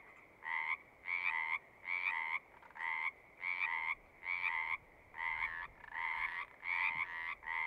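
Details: Pond frogs in a horse pasture, recorded on a Zoom: clear separate trills about half a second long, repeated roughly every 0.8 seconds against quiet background.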